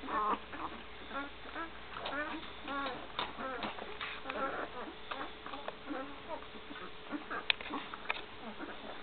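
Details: Great Dane litter one week old alongside Gracie, 2012: a busy run of brief, wavering whines and squeals, many overlapping and bending up and down in pitch, with a steady low hum underneath.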